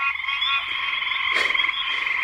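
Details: Two or three Pine Barrens tree frogs, possibly two males calling side by side from the ground in coastal plain woods, give nasal, honking notes in a steady rapid series on a hot, humid night.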